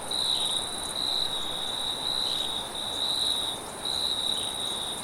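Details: A shrill cricket trill at night in forest ambience, pulsing in loud stretches of about a second separated by brief dips, accompanied by a high faint ringing and steady windy hiss.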